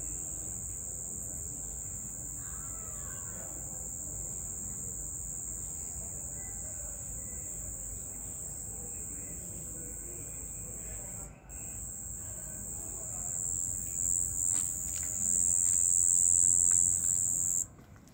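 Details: Cricket at night giving a continuous, very high-pitched shrill trill, pulsing rapidly and steadily throughout, with a brief break partway through and a louder stretch near the end over a faint low background rumble.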